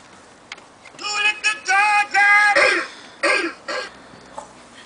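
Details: A beagle investigating a singing treat jar at 7 in the morning gives a string of high, tuneful howls and bays, broken by brief pauses.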